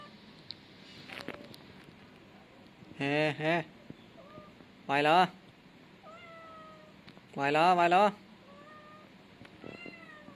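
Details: Three loud, wavering meows from a young male cat, spaced about two seconds apart, each quavering and slightly falling, with quiet pauses and a soft thin whistle-like tone between calls.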